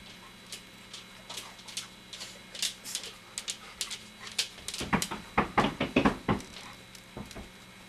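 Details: Three-week-old golden retriever puppies from Gretchen's litter indoors in a small room, giving a burst of short, squeaky whimpers and yelps clustered over a couple of seconds, amid scattered clicks and rustling handling noises.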